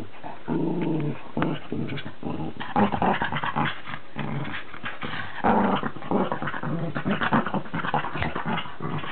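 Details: Two dogs, a Cavalier King Charles Spaniel and a Cairn Terrier, at war: rumbling growls rise and fall in waves, with snarling peaks around the third and sixth seconds and short gaps between bouts.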